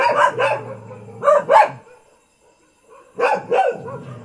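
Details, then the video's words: Thai village dog barking: two pairs of sharp harmonic barks, the first pair near the start and the second after a short pause, with a low hum underneath. "เสียงหมาเห่า หมาบ้านๆ Dog Sound"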